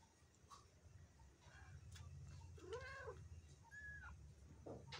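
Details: Black kitten meowing indoors: after a quiet start with faint knocks, one clear arching meow rises then falls, followed by a second shorter, higher meow about a second later, with low background hum.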